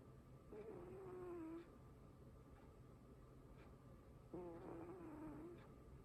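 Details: Domestic cat snoring while asleep indoors: two soft, nasal, droning tones about a second long, slightly falling in pitch, spaced roughly four seconds apart with each breath, over a faint low hum.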